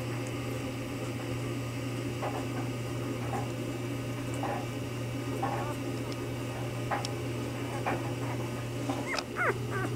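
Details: Newborn Bernese Mountain Dog puppies in their first days, filmed while the mother Bear was still delivering, give faint scattered squeaks and whimpers over a steady low electrical hum indoors.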